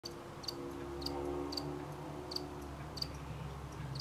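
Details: Crickets at night: brief, high, clicky chirps repeated about twice a second with an even beat, over a steady low droning background with faint tonal bands.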